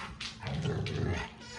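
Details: Pet dogs playing together indoors at home, interrupting a TV show; a low rumbling growl runs through the moment with sharper noisy bursts on top, while an owner's voice calmly reassures another dog that they are just playing.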